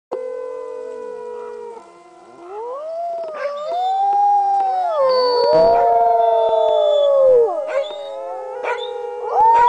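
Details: Sled dogs howling together, heard by a dog sledding guide: several long, smooth, wavering howls overlap, rising and falling in pitch, with a brief quieter dip before the chorus swells again and short yelps breaking in.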